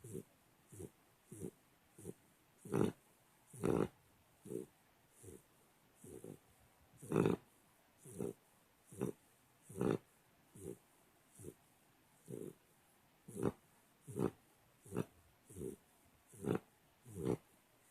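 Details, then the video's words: Snoring American Pit Bull Terrier puppy, three months old and adopted at eight weeks: a long run of short, low, grunting snorts, quicker than one a second, some louder and raspier, steady throughout. "pitbull snoring"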